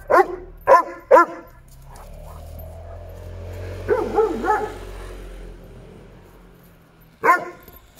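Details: Playful nine-year-old male Doberman, eager to play with another dog that is not in the mood; three quick barks, a drawn-out low grumble with a few muffled yips, then one final sharp bark.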